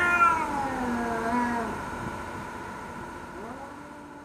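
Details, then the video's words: Cats in a fight, threatening each other: one drawn-out wavering yowl that slowly slides lower and fades, followed by a softer, short rising moan over a faint steady hum. "แมวกัดกัน เสียงแมวขู่กัน"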